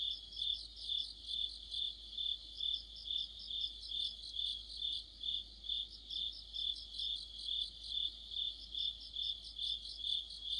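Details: Crickets in an autumn night chorus: a shrill, tinkling chirp repeated at an even pace of roughly two per second, with another cricket's quieter trill weaving through the background.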